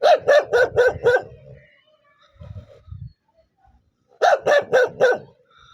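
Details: Angry dog barking fast and steadily, about four barks a second: a run of five, a pause with soft low grumbles, then another run of four.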